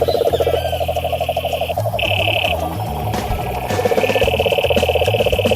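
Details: Pond frogs calling in rapid pulsed croaks, with a high steady trill that starts and stops. Low humming bands sit beneath the chorus, and the pulsing eases midway before returning strongly.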